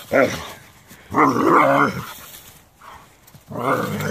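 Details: A Doberman with a problem with a rake gives short, gruff barks: a quick one, a longer harmonic growl-bark, then another after a pause. There is faint background noise between them.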